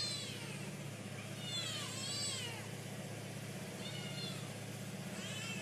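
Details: Hungry stray cats meowing loudly after the mother gave birth: four high, arching meows with bright harmonics, each about half a second long and spaced a second or two apart, over a steady low mechanical hum.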